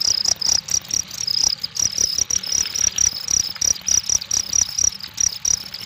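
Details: Cricket chirping in rapid, regular pulsed trills at a high pitch, each burst short and evenly spaced, with faint low clicks and rustling underneath.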